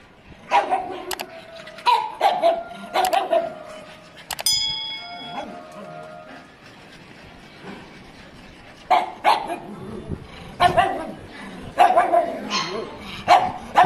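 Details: Pug dog giving short barks in spaced bursts, some clustered in quick pairs, with a quiet gap mid-clip and a brief tonal squeak; light music in the background.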